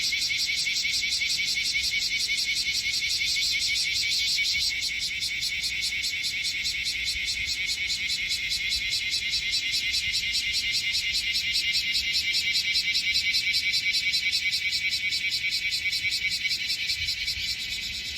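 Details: Bear cicadas crowding a potted tree on artificial turf in Minokamo, Gifu, Japan, July 2024; close, loud rasping song of fast regular pulses, holding steady for about eighteen seconds before easing slightly at the end.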